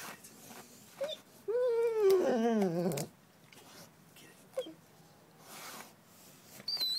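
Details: Buddy Bear, a dog digging in a garden while being urged on, gives one drawn-out whine of about a second and a half that wavers and then slides downward, with a person's brief words and soft clicks around it.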